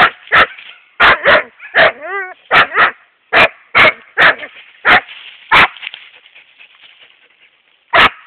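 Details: Siberian Husky Epos, a young male of seven and a half months, yaps at a hedgehog: sharp barks roughly every half second, one wavering whine in between, then a pause before a final bark.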